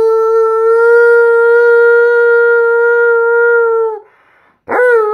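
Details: Male Alaskan Malamute at home, cuddling on a couch, howls along as his owner sings "You Are My Sunshine". One long, steady, level howl holds for about four seconds, breaks off briefly, then a new howl starts with a sharp upward swoop.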